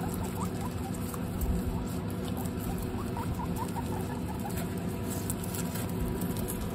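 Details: Guinea pigs from a household herd of 29, trying corn for the first time: short, soft rising squeaks scattered every fraction of a second over steady crunching, chewing and rustling.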